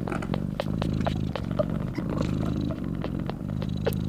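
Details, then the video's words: Loud purring from a mother cat breastfeeding her newborn kittens, a deep pulsing rumble with rich low harmonics that swells and eases in quick rhythmic beats, over light sharp clicks. "Mother cat breastfeeding her newborn kittens and purring loudly"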